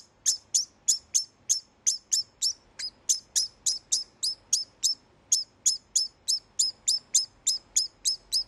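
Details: Captive male degu calling after mating to tell rival males to stay away from his female; a long run of high, clipped chirps, about three per second, with a brief pause midway.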